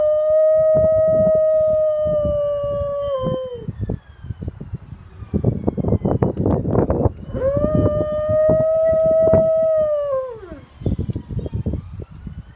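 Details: Dalmatian howling: two long, steady, clear howls, each held level and then dropping at the end, separated by a stretch of rapid rustling or pattering noise that continues after the second howl.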